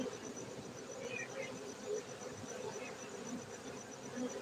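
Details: Farmed honey bees at an apiary in Bener Meriah, Gayo, Aceh, Indonesia, giving a continuous droning hum from many insects, with a few faint higher chirps over it.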